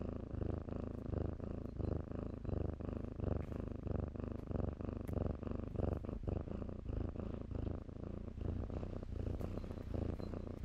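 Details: Shelter kittens at play among blankets give a steady low purr, rhythmically swelling and fading with each breath, broken by soft scuffs and rustles of the bedding.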